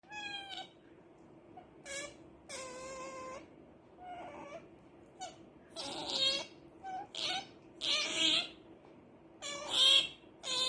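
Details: A female pet otter makes noise because she wants to sleep badly, giving high, squeaky squeals rich in overtones. They come in bursts of about a second, repeated irregularly, over a faint steady hum.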